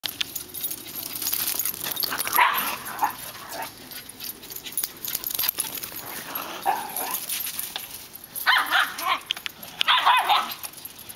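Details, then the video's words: Several dogs doing summer zoomies, celebrating warm weather outdoors; scattered sharp barks and yips in bursts, loudest near two and ten seconds, over rustling movement and a steady high hiss. "Summer Zoomies"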